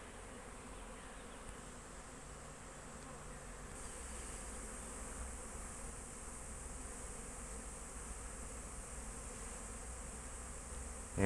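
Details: Colony of honey bees kept at an apiary, recorded in 2023 during rainy weather, giving an unbroken deep, even hum that swells slightly midway, with a knock at the very end.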